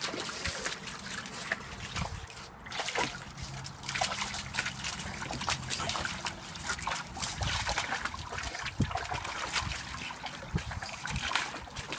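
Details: Water trickles, sloshes and splashes steadily outdoors, with no animal sound heard.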